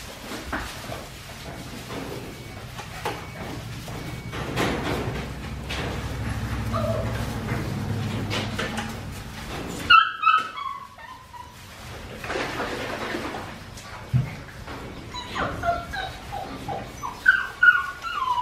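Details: Four-week-and-five-day-old Australian Shepherd puppies from Winnie's litter. Low rumbling and rustling give way after ten seconds to bursts of sharp, descending whimpering squeals, repeated in clusters toward the end.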